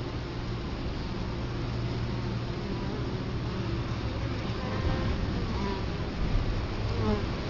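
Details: Italian honey bees crowd a hive entrance in Colorado Springs in October 2011, camera right at the hive; a loud, low, continuous buzz that swells slightly in the second half, with short rising whines from passing bees.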